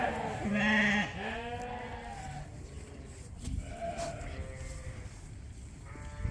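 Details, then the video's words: A newly weaned Suffolk lamb on a sheep farm, unhappy after weaning, gives loud, wavering, nasal bleats of distress in the background while a person talks nearby. "But in the background you can hear one lamb. It's just a screamer. It's not happy at all."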